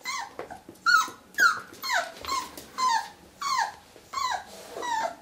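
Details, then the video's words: Whippet reacting to its own reflection in a mirror indoors: a string of high, falling whines and yelps, about eight in five seconds, each sliding downward, in a small room. "Muffin vs. Stranger in the mirror"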